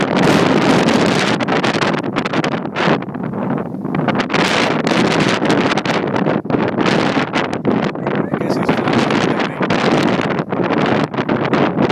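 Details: Heavy wind buffeting the microphone throughout in broad gusty bursts, with no animal sound heard.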